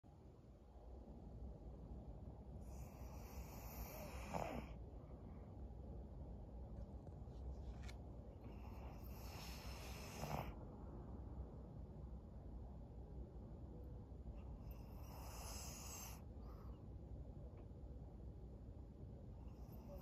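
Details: Maria, a fourteen-year-old fawn female senior pug in Japan, recorded June 2024: soft, hissy snoring breaths come roughly every six seconds, two of them ending in a short low snort, over a quiet low hum.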